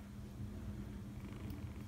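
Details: Seven-week-old foster kitten from a litter named Nutmeg, Cinnamon and Gingersnap, purring close up: a continuous low, throbbing rumble with rapid even pulses, no other clear sounds.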